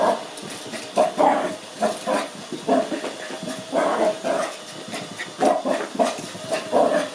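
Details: Cookie, a five-month-old Lhasa Apso puppy, reacting to a robot vacuum at home in excited, frightened 'crazy mode': a run of short low grumbles and huffs, irregular, amid a steady hiss of the machine.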